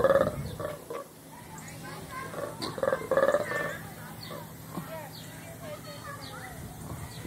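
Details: Colobus monkeys at Louisville Zoo give bursts of harsh, croaking roars, loudest at the start and again midway.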